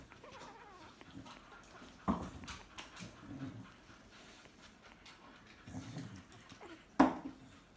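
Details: Staffordshire Bull Terrier puppies from a new litter make soft whimpers and two sharp yelps indoors.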